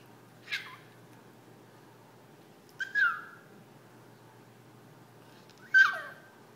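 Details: Yorkshire terrier named Jack, a pet dog begging its owners to play, gives three short, high yelping whines that slide downward, spaced irregularly against a quiet indoor background.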